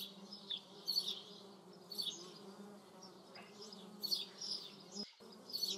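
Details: Continuous low hum of paper wasps flying, with brief bursts of high twittering roughly every second and a short break near the end.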